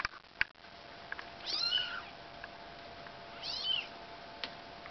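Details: Two short, high-pitched meows from Bengal kittens while moving house, about two seconds apart, each curving up then down, with a few soft clicks and knocks in a quiet room.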